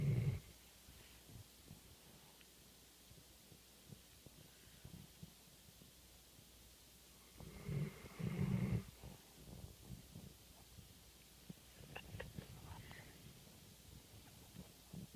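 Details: Labrador Retriever service dog sleeping after a day's work and snoring loudly. Deep, low rumbling snores burst out at the start and again near the eight-second mark. Softer, raspy breathing fills the gaps between them.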